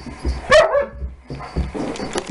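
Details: Puppy Harley, fifteen weeks old, meeting Siberian Husky Lasky indoors; one short sharp yelping bark with a bright harmonic stack, then scuffling and thumps as the dogs play.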